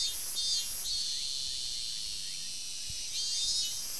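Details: Robust cicada recorded in summer forest on 19 August 2012, a loud, droning high-pitched buzz held throughout, with overlapping pulsed bursts at the start and end, likely from other cicadas nearby.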